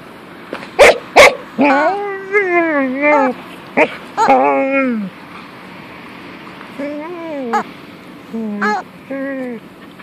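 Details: Female pet dog Punky, acting weird with her loved toy chicken, gives a string of yodelling whines and moans, some rising then falling, broken by sharp yips and clicks, with short pauses between bursts.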